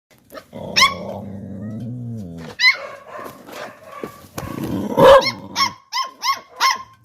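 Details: Two Pit Bull puppies barking: a low growling rumble, then a quick series of high yapping barks, several repeated rapidly toward the end.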